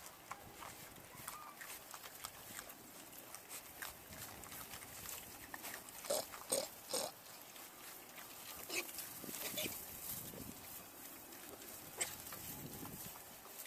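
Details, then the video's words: Hungry piglets give short scattered squeals and grunts among frequent clicking and scuffling noises, with brief louder squeals near the sixth and seventh seconds and again near twelve seconds. "Hungry Little Pigs"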